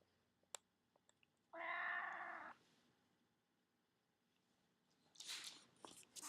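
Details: Pet cat lying in a baby cradle indoors gives a single harmonic meow lasting about one second, steady in pitch, followed by silence and then soft rustling noises near the end.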